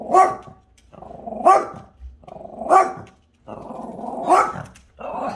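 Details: Dog Buddy vocalising at the neighbour's cat, which does not like him; both are friendly. Grumbling growls rise into sharp barky peaks about every one and a half seconds, five bursts in all.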